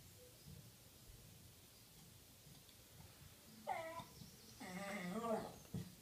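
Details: West Highland White Terrier 'talking' after a naughty Jack Russell ate its ball: after a quiet stretch, a short wavering whine, then a longer warbling, moaning vocalization, indoors in a small room.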